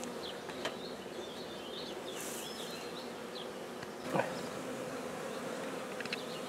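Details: Black bees in a newly started hive at Guernay, Côtes-du-Nord, giving a steady low droning hum with layered tones, a brief louder rustle near four seconds, and faint bird chirps behind.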